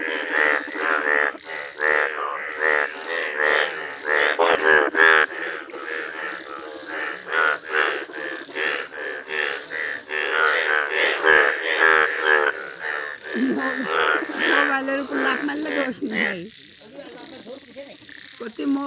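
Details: Village chorus of yellow Indian bullfrogs: a continuous mass of overlapping harsh, honking croaks at a fast pace, thinning out near the end into a few lower, drawn-out calls.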